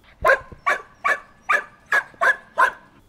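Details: Hungarian herding dog; bark; attracting attention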